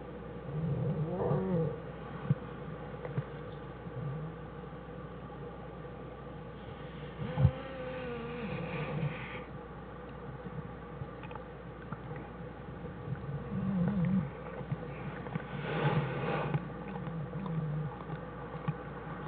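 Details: American black bear mother and two cubs denning, January 1, 2013. Scattered soft, short moaning and squealing calls come at intervals, including a rising-falling wail midway, among low rustling and a continuous background hum.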